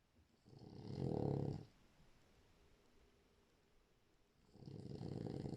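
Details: Sleeping French Bulldog snoring indoors: two low, rumbling, rasping breaths, one long and one starting near the end, separated by a few seconds of quiet.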